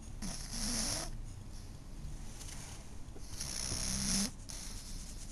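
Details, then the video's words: Twelve-year-old female pug named Esky napping indoors; two broad, breathy snore bursts with a low rumbling base and hissy upper edge, about three seconds apart, separated by quiet breathing. "Pug Sleeping Snoring"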